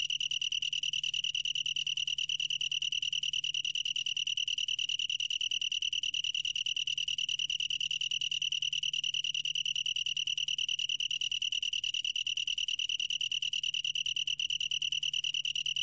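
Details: Unbroken, ringing song of a long-tailed tree cricket: one high, clear tone pulsing quickly and evenly throughout, with a faint low hum beneath it and nothing else clear.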